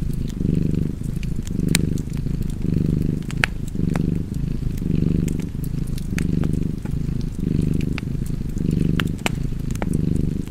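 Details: Domestic cat purring beside a crackling fireplace: a low, rumbling purr pulsing in steady breaths about once a second, with sharp pops and crackles of burning wood scattered throughout.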